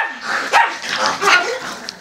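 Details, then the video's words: Pomeranian dogs squabbling over a bone in a home, one grabbing it and the other reacting angrily: a short burst of harsh, noisy growling barks and yips at close range, two louder peaks about a second apart. "Typical Pomeranian Dog Day"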